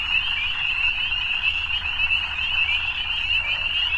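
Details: Frogs calling in the evening, a dense, unbroken high trilling chorus of many overlapping callers that holds steady throughout, with a faint low rumble underneath.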